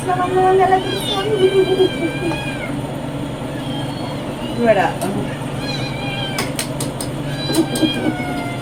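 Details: Pet cat meowing loudly to demand food, several drawn-out harmonic meows with rising and falling pitch, the longest near the start, over steady low engine-like hum and human speech.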